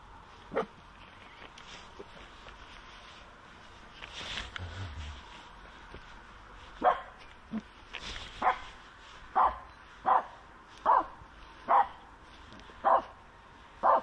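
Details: Finnish Spitz named Aamu barking at a squirrel on a walk: after a few scattered yelps, sharp single barks come about once a second, with a person's voice briefly in between.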